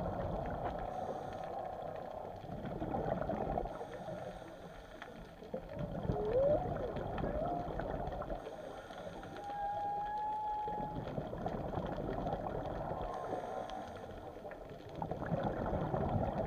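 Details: Whales heard undersea give a short upward-sweeping cry, then a longer steady held tone, set against a dense low rush of water noise.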